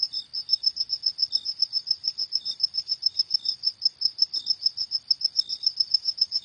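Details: A cricket at night gives a fast, regular train of shrill chirps, roughly three to four per second, with occasional weaker lower-pitched pulses underneath; otherwise calm.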